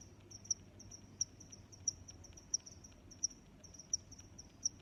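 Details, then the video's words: Cricket giving sharp, high, evenly spaced chirps, seven in under five seconds, with a gentle hum of background noise. "Sounds of Crickets"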